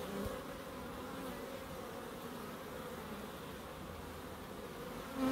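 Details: Continuous low buzzing of bees in a small home wildlife garden in Crookes, an even drone with strong tonal bands, rising in loudness at the very end as one flies nearer.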